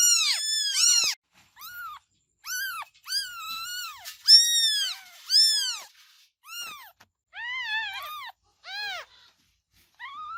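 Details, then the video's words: Kittens crying with repeated short, high, arched meows, loud at first and then softer and more spaced out, with some voices overlapping. "Baby Cats Meowing Sound Effects"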